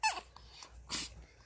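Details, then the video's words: A small female Chihuahua named Kkami, a dog that rarely barks, gives a brief high whimper that drops in pitch, followed by a soft breathy huff in a quiet room. She is asking for what she wants and not to take her doll. "귀여운 목소리로 대답해주는 치와와 강아지 앙탈 소리"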